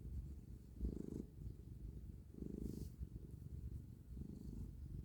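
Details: A cat kneading, purring in a deep, continuous rumble that swells rhythmically about every one and a half seconds with its breathing, in a quiet indoor setting.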